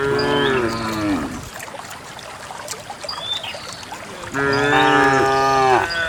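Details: Dozens of cows on their morning walk through wet paths and wild grass toward a green valley in the countryside. A falling moo ends early on, then a pause with distant bird chirps, then a second long, full moo.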